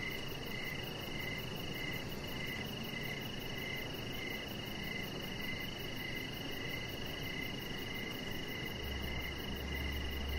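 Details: Crickets chirping outdoors in the evening on a deck with decoration lights and a chihuahua puppy nearby; steady pulsed chirps repeat about twice a second over a continuous high trill, with low background rumble.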